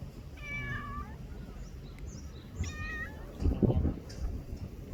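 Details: Young brown-and-white stray cat in a Japanese park or port, rolling onto its back, gives two clear, cute meows that slide downward, each about half a second long, followed by soft rustling and handling sounds.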